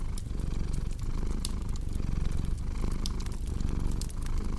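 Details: Steady, low, throbbing purr of a cat with faint breath-timed swells, nearly covered by busy crackling of fireplace logs.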